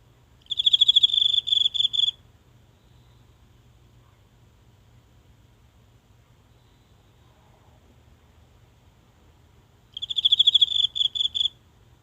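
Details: A single insect calling at night from the grass of a small home garden in Japan, recorded up close with a mobile phone: two bursts of rapid, high, pure chirps about 1.5 seconds long, separated by roughly eight seconds of quiet.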